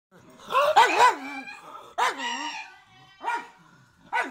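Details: Pug barking: a quick cluster of wavering, yodel-like barks early on, trailing into a drawn-out whiny tone. Three more single, separated barks follow.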